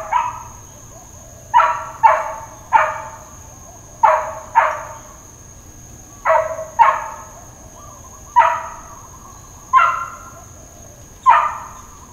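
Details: Dogs barking at Hawaiian Paradise Park, Hawaii, on Labor Day, September 2, 2024, during a long bout of intermittent, uncontrolled barking: about eleven sharp, loud barks in twelve seconds, some in quick pairs, over a steady high insect-like whine.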